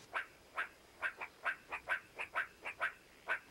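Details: A meerkat gives a quick series of short, sharp clucking chirps, calling to the rest of its group just outside so they stick together.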